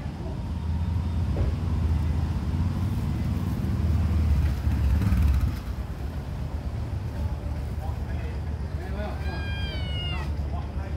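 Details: Small kitten crying from hunger, giving one clear, high, wavering meow near the end after a long stretch of low rumbling background noise and faint voices.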